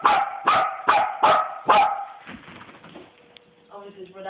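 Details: Miniature wirehaired dachshund family at play, tug of war between mother and son: five sharp, evenly spaced barks roughly every half second, then a quiet gap and a soft low growl.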